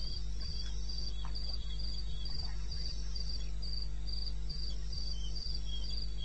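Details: Crickets calling in the wilderness of eastern Botswana at 02:30 on a May night, recorded in 2016: short high chirps repeated about three times a second in a steady, even rhythm over a constant low hum, with a second fainter chirping voice lower down.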